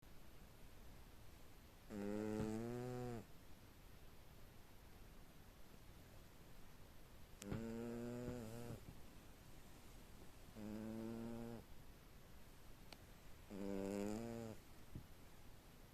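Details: A small cat asleep, snoring in slow, even breaths: four drawn-out, rough-toned snores about a second long each, spaced several seconds apart, with quiet pauses between them.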